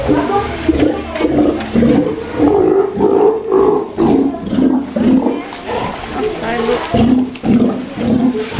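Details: A one-year-old Steller sea lion kept at an aquarium in Ise, Japan, gives deep, throaty, harmonic roars, short and repeated about twice a second with brief gaps, under an echoing indoor background.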